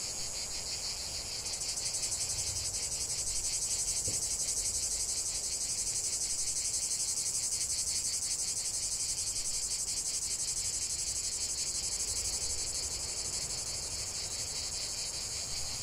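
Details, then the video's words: Cicadas chanting in nature for relaxation: a high, sizzling buzz that rises in volume after the first seconds, then holds steady with rapid rhythmic pulsing, fading a little toward the end. "45 min de chant des cigales"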